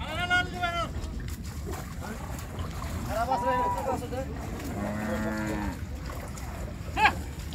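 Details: Cattle being unloaded in Bangladesh, lowing in several drawn-out harmonic moos: one at the start, two more around the middle, and a brief sharp cry near the end, over steady low rumbling background noise.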